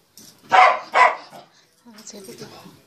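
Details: Pet corgi in a home clip giving two sharp, loud barks about half a second apart, followed by quieter background voices and household noise.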